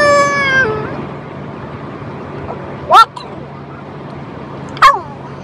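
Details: A French Bulldog 'talking' gives a short, falling whine at the start, followed by two sharp, separate yelps about two seconds apart against a quiet background.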